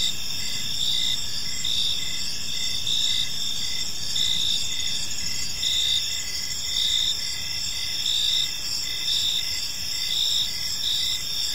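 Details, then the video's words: Park crickets at dusk keep up a steady high chirping chorus, pulses repeating close to once a second over a continuous trill, with noticeable low rumbling noise beneath. "Cricket Sounds in a Peaceful Park"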